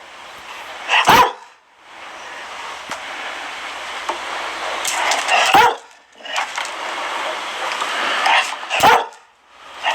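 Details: Single sharp barks from a Dalmatian, three of them spaced roughly four seconds apart, each cutting through a constant broadband rushing noise like applause or static.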